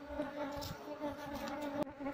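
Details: Apis cerana workers of a wild colony, transferred from a window shutter into a cultivation box, give a dense continuous drone with steady harmonic hum and faint background rustling.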